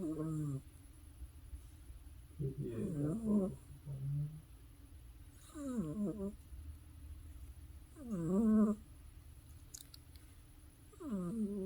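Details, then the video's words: Pet cat Teddy, deep asleep, snores steadily: rough, rattling breaths repeat every two to three seconds, some wavering in pitch, over a quiet indoor hum. "teddy my cat is sleeping deaply and is snoring"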